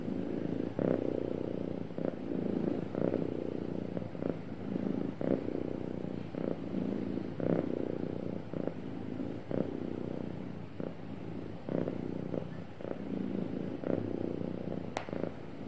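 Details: Sweet, happy cat with a smooth, even purr: deep droning rumble rising and falling on each breath about every second, ending with a brief faint click.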